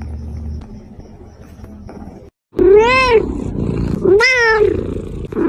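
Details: Domestic cat from a compilation of cats and kittens meowing: quiet low rumble and background for two seconds, a brief silence, then two clear arched meows about a second apart, rising then falling in pitch.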